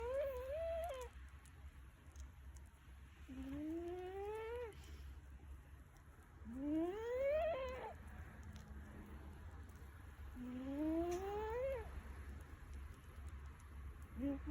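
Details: Milo, a pet cat, snoring: each breath brings a squeaky whistle that slides upward in pitch, coming roughly every three to four seconds over a steady low hum.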